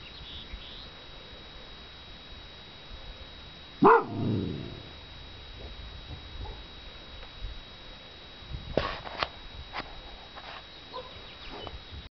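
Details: Bernese Mountain Dog gives one loud, deep, gruff bark at about four seconds, with a short echoing tail. Quieter scattered knocks and thumps follow near nine seconds over a low, steady background hum.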